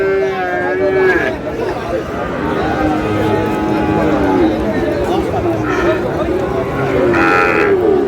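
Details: Sahiwal bull calves at a crowded cattle market in Chattogram, Bangladesh, in June: drawn-out lowing moos rise over a steady hubbub of people talking and bargaining.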